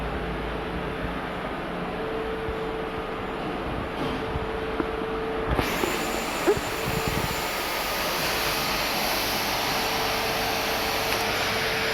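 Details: Loud steady vacuum cleaner roar with a constant motor hum that brightens sharply midway, and no animal voice.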